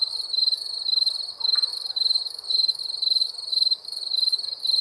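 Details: Night crickets chirping in short pulsed bursts, about two per second, a bright trilled tone over a fainter higher shimmer, steady and continuous.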